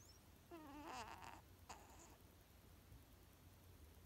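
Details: A female Maine Coon cat snores in her sleep with a thin, wavering, high-pitched squeak, then a brief second squeak.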